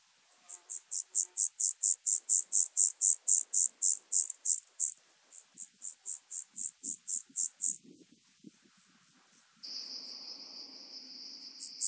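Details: Rock-dwelling grasshopper (Omocestus petraeus) singing on Cres, Croatia, 13 July 2022: a series of high, hissing pulses repeated about four per second, fading then resuming more softly before a steady high whine and faint low rustles.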